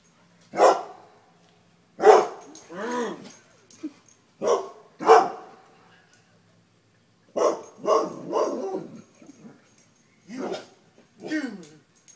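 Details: Dogs fleeing a deer mount give loud, harsh barks in ragged groups with short whining, wavering tails between them, over about twelve seconds.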